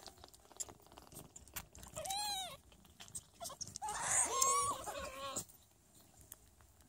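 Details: Sphynx cat mother Chikita Mantra talking to, nursing and caring for her meowing baby kittens indoors; a drawn-out high harmonic meow, then a louder cluster of overlapping, wavering meows, with soft rustling between.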